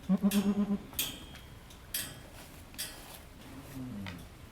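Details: Goat named Halley Berry bleating while giving birth to triplets at Needham Goat Farm; a low, quavering bleat of about six rapid pulses in under a second, followed by quieter sporadic sounds and sharp clicks.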